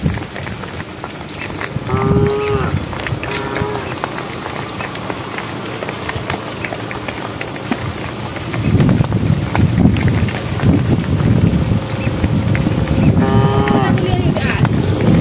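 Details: Domestic cows walking on a project road, calling the herd: three brief harmonic moos, two close together early and one near the end, with a loud low rumble filling the second half.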